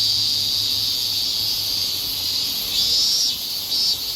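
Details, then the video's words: Higurashi cicadas in a Japanese summer: a sustained high whining tone, followed by two short rising pulsed bursts from nearer singers. "Sounds Of Cicada! The sounds of summer in Japan ひぐらしの鳴く声 (セミ)"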